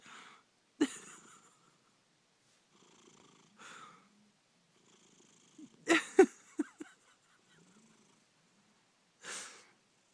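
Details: Domestic cat giving a purring snore, said to come from its sleeping position; breathy, rasping bursts recur about every three seconds, with softer murmurs and a few short clicks between them.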